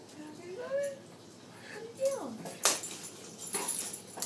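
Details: Guinness, a dog playing with his new toy, gives two short, tonal whines that rise and then fall, followed by sharp clicks and rustles as he plays.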